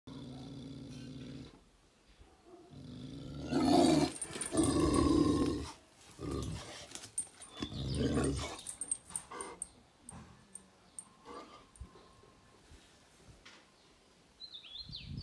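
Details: A male Sivas Kangal dog gives deep, heavy barks and throaty growls in short bursts, described as roaring like a lion and angry.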